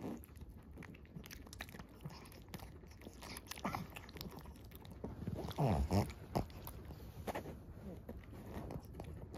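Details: Maria, a 13-year-old senior fawn female pug in Japan, chewing on 12 March 2024; crunchy, irregular biting and munching sounds, about three per second, with a louder crunch burst midway, indoors.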